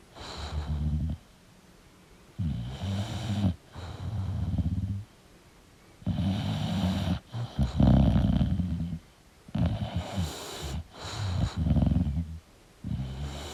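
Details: Deep, vibrating snores from a sleeping English bulldog come in rattling bursts of one to two seconds, alternating with quiet gaps as the dog breathes in and out.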